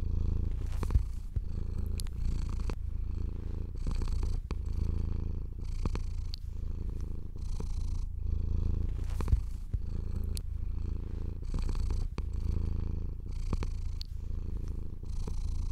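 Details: Relaxed house cat purring steadily while being stroked, the deep continuous rumble broken up by repeated brushing strokes of a hand over fur, roughly one every second.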